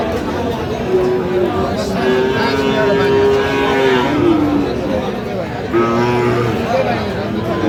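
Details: Sahiwal bull calves at a cattle market where a farmer from Chandpur is buying, dated 12/8/25: long, level mooing tones, one held for about three seconds, then a shorter moo, over steady crowd chatter and market bustle.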